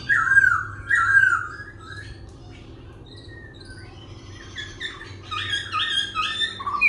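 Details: Laughingthrush kept as a cage bird, singing as it dances and changing its voice constantly. Rich warbled phrases open the recording, then a quieter stretch follows. Late on comes a busy series of high, chirpy, stepped notes over a low steady hum.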